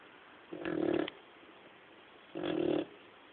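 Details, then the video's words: Sleeping male dog snoring: two raspy, buzzing snores nearly two seconds apart, each lasting about half a second, in a quiet room. "My snoring dog"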